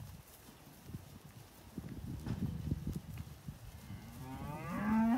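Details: Belgian Blue x Beef Shorthorn crossbred cattle, three-year-old cows with calves of five to seven months, Eastern States, November 2018: low shuffling rumble and faint knocks, then a loud, rising, richly harmonic moo swelling in the final second.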